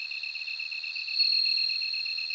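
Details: Bell cricket song, a steady, bell-like high ring that grows slightly louder midway, accompanied by a quick, evenly pulsed lower trill; a clean, quiet background.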